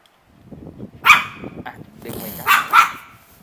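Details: A Pomeranian that barks excessively, filmed as a real example during dog training. Over quiet background murmur, one sharp bark is followed a little later by a quick double bark, with a man's voice faintly heard.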